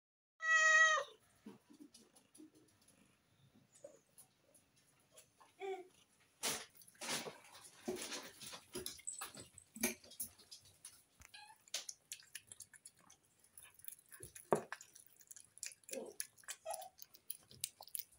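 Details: A female Snow Lynx Bengal cat, a very loud eater, gives one loud meow, then crunches and chews noisily on her food.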